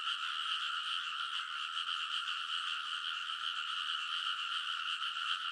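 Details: Chorus of frogs along the ridge of a rice field in Kōnosu, Saitama, on an early summer midnight, recorded with a TASCAM Portacapture X8: steady, throbbing mass of quick croaks, about two and a half pulses per second, filling the whole clip.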